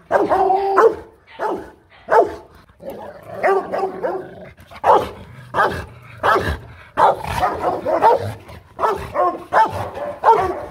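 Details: Rottweilers kept as family guard dogs, Bruno and Loky brought within sight of one another, give a long run of powerful barks in uneven bursts, some close together and overlapping, others separated by short pauses.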